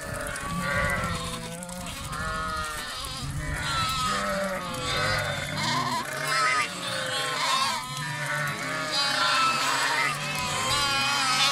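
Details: A crowd of lambs bleating together without pause, many overlapping quavering calls at different pitches forming a continuous noisy chorus.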